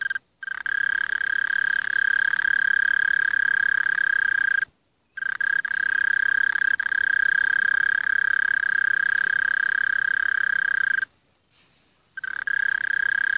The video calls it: mole crickets - медведки - kurklys